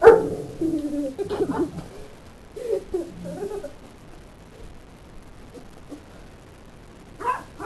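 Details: Great Dane getting mad after a puppy bites its tail, giving rough, low grumbling growls and short barky bursts in the first few seconds, then quiet, with a final yelp.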